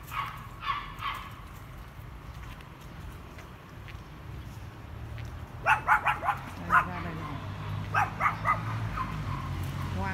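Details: Dogs near their home barking loudly to scare a dog passing along the road on a sunny day: after quiet, a cluster of quick, high yapping barks, then a few scattered barks, over steady low background rumble.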